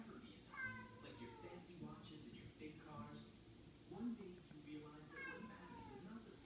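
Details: Domestic cats meowing indoors, seemingly trying to gather the pack: several stacked, falling meows spread across the clip, interleaved with a person speaking to them and asking if somebody is missing.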